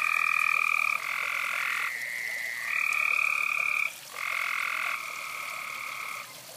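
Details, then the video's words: A few frogs call near a fireside, giving sustained buzzy croaks lasting one to two seconds, one caller answering another with barely a pause between bursts. "Ok and with a few frogs"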